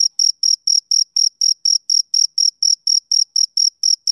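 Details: A male cricket sings on a summer evening. Its chirps are sharp, high and evenly timed, at roughly four to five per second, each a short buzzy pulse with a fainter overtone above. No other sounds.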